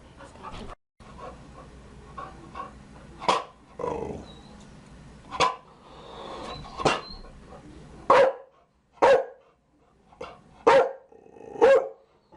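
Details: Chow Chow barking against a steady noisy background; early barks are softer and muffled, then four or five louder, clearer barks come about one second apart near the end.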